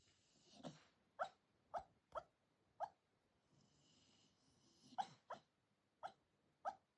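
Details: Senior Shiba Inu talking in its sleep at 4:30 in the morning: a run of soft, short whimpering yips and muffled woofs, about ten in seven seconds, irregularly spaced, with faint hiss in the background.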